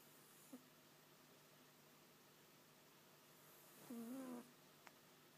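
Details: A pet cat making a funny noise: after near silence and a faint tick, a brief, low, wavering chirrup rises slightly and then drops, followed by another small click.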